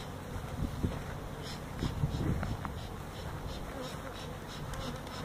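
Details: Disturbed feral honey bees from a colony nesting in a tractor tire at a citrus orchard in Mission, Texas, during hive removal; deep, steady buzzing drone that swells slightly around the middle, with faint rhythmic tapping.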